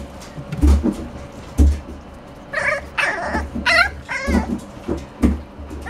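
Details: French Bulldog puppy giving a few high, wavering whines with stepped pitch around the middle of the clip, between soft thumps and low rumbling background noise.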